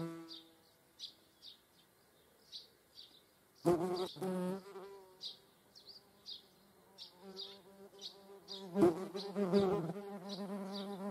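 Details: Median wasps (Dolichovespula media), seen with honeybees in the Eifel, buzz with a low droning hum that swells loudly as they fly close past.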